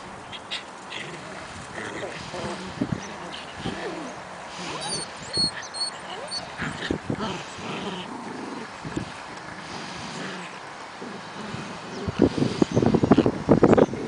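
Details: Shetland Sheepdog puppies, 7.5 weeks old, romping together in spring. Short, scattered whimpers and squeaks are heard throughout, building to a dense burst of sharp, harmonic yelps near the end, with some human voices in the background.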